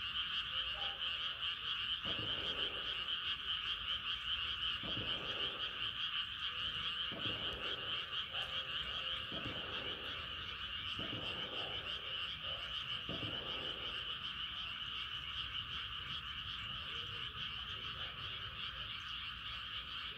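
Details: Frogs calling at night under a rising moon, with a dense, steady high-pitched chorus running throughout and lower croaks pulsing in roughly every second or so beneath it.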